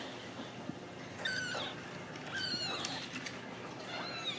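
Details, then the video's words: Ragdoll kittens playing in a home cattery in central Kansas; three short, high mewing cries spaced about a second apart, each sliding downward, with a woman's encouraging voice and faint household noise. "Steward Ragdoll Kittens"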